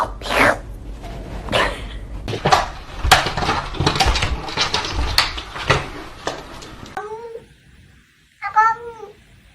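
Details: Pet cat indoors: rustling, thumps and clicks give way to two clear drawn-out meows near the end, each wavering and falling, about a second and a half apart.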